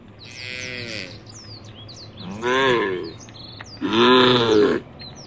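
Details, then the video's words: A herd of tame cows walking toward a field at the forest edge; three long, harmonic moos, each about a second, the last loudest, with small birds chirping high in the background. "the sound of the cows"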